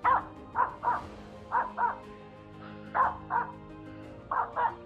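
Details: On a frosty, humid morning in the Stennäs woods, a female Finnish Spitz out grouse hunting barks at small birds in trees, giving quick pairs and triplets of sharp mid-pitched yelps about every 1.5 seconds.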